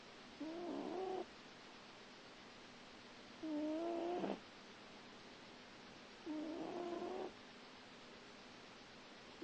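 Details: A small grey cat snores while sleeping. Three nasal, faintly whistling snores sound about every three seconds, each lasting close to a second and holding a steady low tone with overtones. The room is quiet between them.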